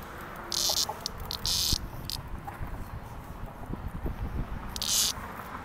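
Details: A cicada being rescued and released in 2021 gives short, loud, harsh buzzing bursts of about half a second, several spaced through the clip, over low rumbling handling noise and faint clicks.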